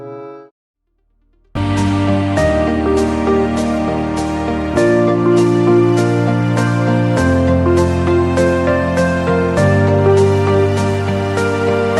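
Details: Steady instrumental music with regular note attacks, a soft tender melody over sustained low tones; no animal voice is heard.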